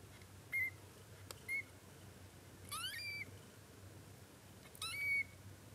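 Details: Coco, a male short-legged Munchkin kitten on his first day of life, gives four thin, high squeaky mews, short ones then longer rising-and-level cries spaced about a second apart, over a quiet indoor hush.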